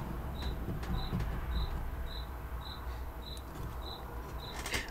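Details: Cricket heard in the background at a home during an evening live stream: short high chirps repeated about every 0.6 seconds, steady and even, over low rumbling room noise and a sharp click at the end.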